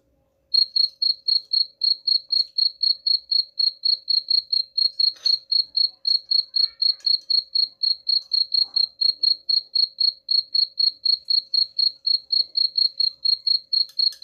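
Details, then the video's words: A cricket's high, regular chirps repeat roughly four times each second for the whole stretch, meant to scare off rats, with a few faint ticks and rustles underneath. "suara jangkrik pengusir tikus ampuh"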